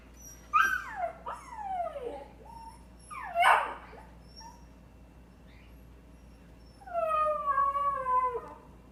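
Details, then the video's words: A dog making odd vocal noises: squeaky whines sliding sharply downward in pitch, a breathy yelping burst, then a long, steady, slightly falling howl-like moan near the end, over a low background hum. "Funny dog noises"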